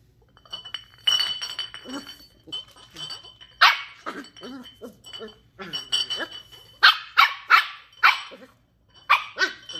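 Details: Ollie, a female 10-week-old Shetland Sheepdog puppy, curious and discovering new things at home, gives a run of short, high, sharp puppy barks, scattered at first and then in quick bursts, with a faint clink in the background.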